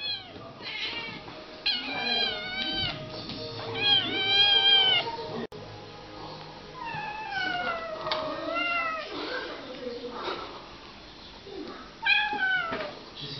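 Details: Kittens play fighting in July 2015, loud overlapping meows and wails, many with sweeping downward-bending harmonics, coming in clusters throughout, with a short break midway and a steady background hum.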